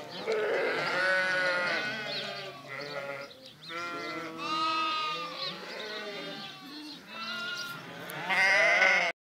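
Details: Sheep bleating in a flock, a string of distinct wavering bleats, some short and others drawn out, with brief pauses between bursts and a loud, high bleat closing the sequence.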